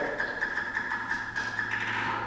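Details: A bat's echolocation, made audible by a bat detector, comes as a steady train of dry ticking pulses; the pulse rate rises as the bat zeroes in on a bug in the dark, catches it, then climbs away.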